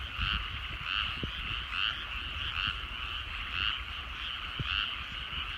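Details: Frogs in rice fields at sunset in rural countryside, croaking together in a rhythmic, throbbing chorus with bright pulsed bursts roughly twice a second, a few faint clicks and a low rumble underneath.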